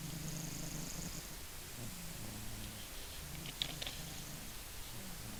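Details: Maine Coon named Funya snoring while asleep indoors: soft, low rumbling breaths repeat in slow waves, with a brief faint click partway through.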